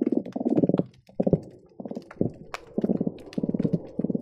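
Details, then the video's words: Croakers recorded underwater by hydrophone at the Marina Drive bridge between Long Beach and Seal Beach on an especially busy day: dense low, rapid pulsed drumming bursts, grunting trains repeated with short gaps, over a crackle of sharp clicks. "Seal Beach croaker sounds"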